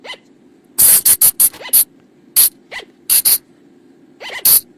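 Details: Flying lemur calls used at night to lure the animals, recorded in forest: harsh, sharp broadband shrieks in quick bursts of two to five, mixed with soft, short arched squeaks, over a low steady hum.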